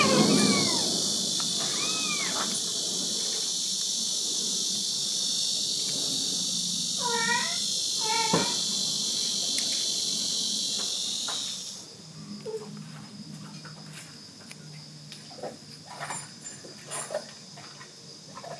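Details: Kitten and mother cat living at a rural house in Dorae village, South Korea; thin, high meows early on, a rapid wavering run of calls near the middle, under a loud shrill insect chorus that later fades.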